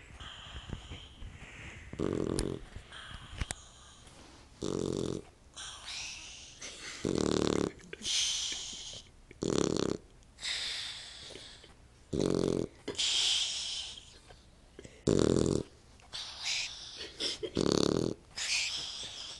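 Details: Snores from a puppy come as loud, harsh, low bursts roughly every two to three seconds, mixed with brighter snuffling and rustling sounds.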